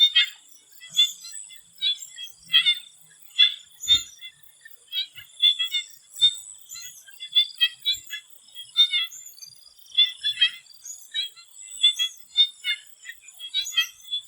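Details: Frog chorus in a Thai swamp before sunset. Many short clicking, pulsed bursts come in uneven clusters every second or so, over a constant high whine, with a single faint low knock near the middle.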